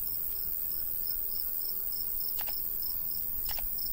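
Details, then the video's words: Crickets of a summer countryside wheat field give quick, high repeated chirps against a faint breeze, broken twice by sharp brief clicks. "Countryside/cricket sounds"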